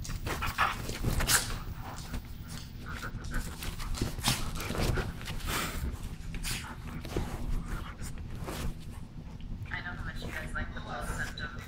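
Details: Siberian Husky play fighting with a little dog: rough growly bursts and short yipping sounds come in quick uneven runs, mixed with scuffling and overlapping human voices.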